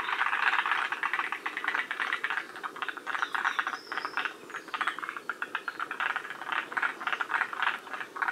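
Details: A chorus of forest green tree frogs at Shiriya, Aomori, a northern-limit population: rapid ratchet-like pulses from many callers, dense and clattering, rising and falling in loudness throughout.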